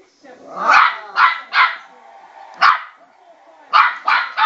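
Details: A West Highland White Terrier puppy, about 12 weeks old, barks at a spinning bowl in bright, yappy, high-pitched, clipped bursts, often two or three close together with brief pauses, over a faint room hum.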